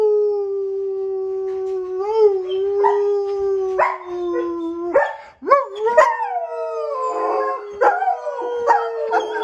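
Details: German Shepherds, a female and a male, howl indoors in long, steady, mid-pitched tones that waver and dip, with a second voice joining later; dogs outside are also howling.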